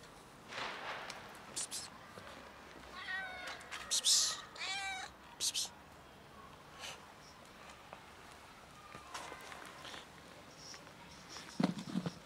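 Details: A ginger cat, having eaten, runs off toward another cat whose tail is puffed up. A few short, bent harmonic meows come in the middle, amid scattered clicks, sharp noises and faint voices.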